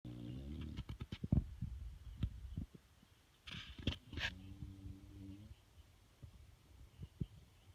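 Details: Bruno, a sleeping bulldog, snores: a low, buzzy inhaled snore at the start and another deep rasping one midway, with soft clicks, snuffles and short nasal noises between them in a quiet small room.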